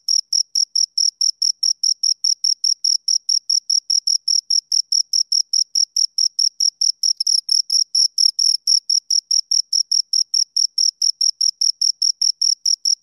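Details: Continuous chirping from two crickets, sharp high trills repeated about twice a second in a long even sequence, a brief louder overlapping burst partway through, otherwise a quiet clean background.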